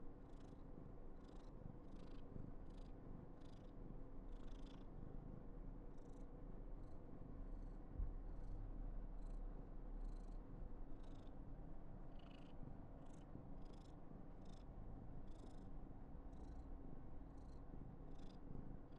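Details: Affectionate female Somali cat named Karen, born 19 November 2021, purrs deeply and without pause, accompanied by quick breathy puffs repeating about twice a second.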